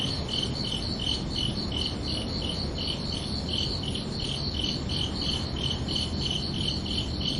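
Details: Night-time cricket chirping on a summer evening, a run of bright, high chirps at a steady pace of roughly three per second, with a soft, continuous low-pitched noise bed beneath.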